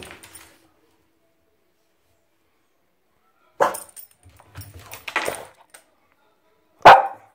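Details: French Bulldog playing wildly in a bathtub, giving three short, sharp barks spread over the last four seconds after a long quiet stretch, with a faint brief sound at the start.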